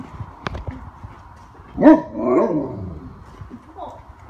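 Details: Great Dane; talking vocalization; vocal back-and-forth with its owner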